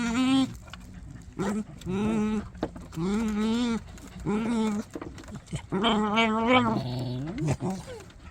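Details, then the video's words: Dog making strange sounds while eating: a series of moaning, growly tonal grumbles with rising-falling pitch, each lasting about half a second to a second, repeated irregularly throughout. "이상한 소리를 내며 먹는 강아지"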